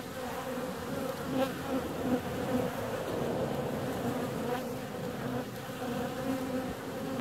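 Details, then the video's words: On a warm February day bees are out and flying, filling the air with a steady, low buzzing drone and a brighter overtone, the hum wavering gently as individual insects pass close. "Bee's out on a warm February day."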